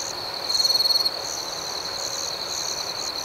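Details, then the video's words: Crickets at night: a steady high-pitched ringing trill, overlaid with pulsed chirps that recur about every half second. A louder, rapidly pulsing burst stands out early on, with a faint hiss of nighttime ambiance underneath. "Soothing Cricket Sounds"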